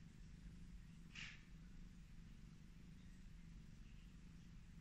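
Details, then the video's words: Petted Highland Lynx cat giving an even, low droning purr throughout, with a short soft rustle of fur or hand movement about a second in. "The relaxing sound of a cat purring"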